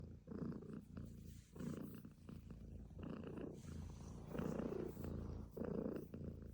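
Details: Domestic cat purring: a deep, steady rumble that swells and fades with each breath, rising and easing about every second and a quarter, in a quiet indoor setting.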